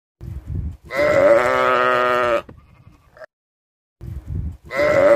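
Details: Sheep (lamb) (Ovis aries), bleat.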